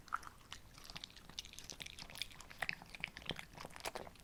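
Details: Two female Shih Tzus, Ssamong and Jinsang, eating simple homemade treats indoors on a hot, humid summer day: dense crisp crunching and clicking bites, irregular and close, with small wet chewing sounds in a quiet room.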